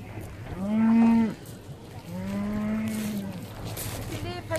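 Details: Hereford cattle, part of a herd of eleven cows with calves landed on Skarø from Tåsinge by the boat Yrsa on 13 April 2016 for summer grazing; two long, deep, steady moos, the second softer, over low engine hum.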